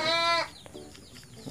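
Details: Motherless goat kid on a farm, bottle-fed milk after its dam died, gives a loud, nasal, steady bleat of under half a second, followed by quieter handling noise and a low voice.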